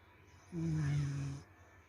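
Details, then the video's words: Snoring from a sleeping corgi: a deep, rumbling inhaled snore close to a second long, slightly rough and fading at the end, against a hushed indoor background. "corgi tidur ngorok"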